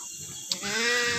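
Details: Etawah goat on a farm in Kembang village, East Java, Indonesia, giving one drawn-out, steady, nasal bleat with a rich harmonic tone. It starts just after a brief sharp click and sounds over a constant background hiss.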